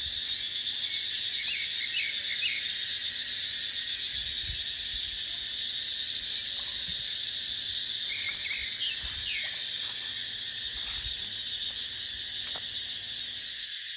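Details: Cicadas droning in dry dipterocarp forest during the dry season: a dense, steady, high-pitched hiss with a fine shimmering pulse. Short descending bird chirps break through around four and nine seconds, over low gusts of wind.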